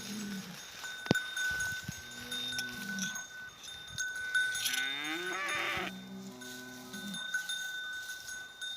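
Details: Angus bull in a Turkish village, eager to fight neighbouring cattle after a fight the day before left its eye slightly injured. Low, steady moaning bellows repeat, with one higher rising call mid-way, over music and a steady ringing tone.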